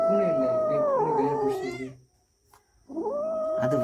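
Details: Cats yowling over a caught rat, a sustained, eerie moaning cry that slides downward and fades, then a brief pause before the drawn-out wail starts up again at a steady pitch.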